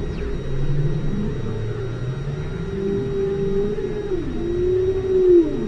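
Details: Deep-ocean whale calls captured at station Aloha, 5 km down: long low moans gliding slowly, with a brighter upswept arc near the end, set against steady low rumble and thin constant hum.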